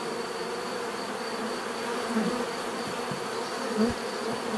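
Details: Bees buzzing in a natural setting: a dense, steady low hum of many insects, with two louder individual buzzes passing close at about two and nearly four seconds, and a faint constant high whine throughout.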